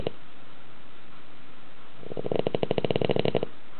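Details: Sleeping pet dog snoring indoors with a roar likened to a grown man's; after quiet room noise, a rough, fluttering snore of rapid rattles lasting about one and a half seconds.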